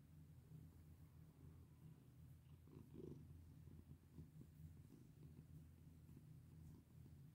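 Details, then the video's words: Purring from a domestic cat being petted, low and sustained, rising and falling softly with each breath, with a brief louder rustle around the middle. "Pet my sweet cat with me!"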